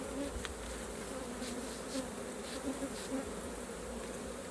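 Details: Swarming hum of honey bees around a hive during honey harvest, with low pitched buzzing tones that rise and fall slightly as individual bees pass close.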